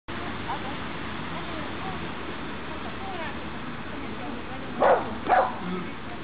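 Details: Pixel the dog during obedience practice on 23 June 2012, giving two short, sharp barks about half a second apart near the end, over a steady noisy background with faint voices.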